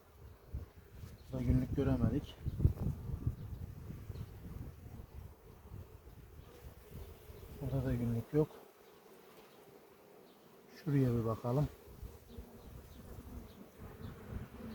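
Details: Honey bee colony in a village beehive at Ceyhan, opened in July for a queen check after honey harvest; a steady low hum runs throughout, broken by a man speaking Turkish in three short bursts, with rustling handling noise.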